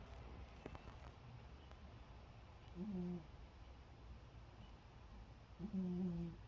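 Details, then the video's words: Sleeping cat snoring, the small body producing surprisingly loud, resonant sound: two low droning breaths about three seconds apart, each a short buzzy rumble, over quiet indoor background. "고양이 코고는 소리 고양이 코골이"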